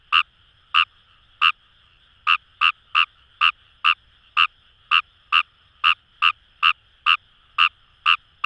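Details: Fejervarya kawamurai from paddy fields at the Kamo River, Itoshima, Fukuoka Prefecture, Japan, sounding a long run of loud, brief rasping croaks, about two per second and fairly evenly spaced, above a constant distant frog chorus.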